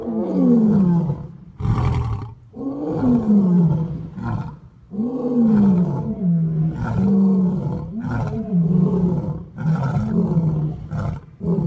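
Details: Male lion in a loud roaring bout: long deep moans sliding downward, then shorter grunts run together, heavy and rumbling throughout with only short breaks.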